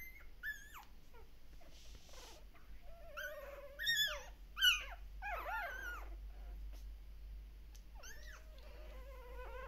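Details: Shiba Inu or Samoyed puppies at a breeder in the Netherlands crying while their mother is away: scattered high thin whines and squeals rising and falling, several pups overlapping, quiet background.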